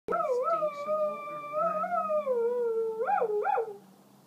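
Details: Small pet dog at home, warning coyotes heard nearby to stay away from the property, giving a long, wavering howl that ends in two quick rising yelps.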